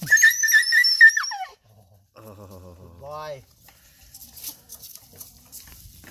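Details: An injured dog gives a loud, high, strained whine for over a second that slides downward at the end, followed by quieter lower tones and a person talking softly to it.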